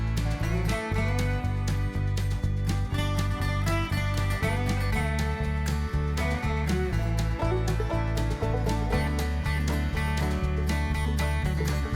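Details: Upbeat country-bluegrass music with plucked guitar and a steady bass beat fills the whole stretch, with no animal sound heard.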